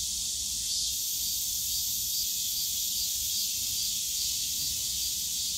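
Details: Cicadas in a bamboo forest at Yongsan Family Park on a summer day, producing a loud, constant high-pitched hiss without pauses, backed by a faint low rumble.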